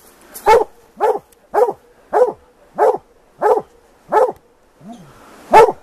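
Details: Plott hounds baying at a treed big tom mountain lion during an afternoon hunt; rapid, evenly spaced loud barks roughly every half second, with a low voice near the end.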